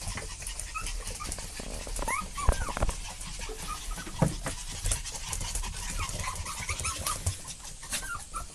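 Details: Puppies following their parents, heard as scattered short high whines and squeaks, some arching up and down, over a steady background of rustling and low rumbling noise.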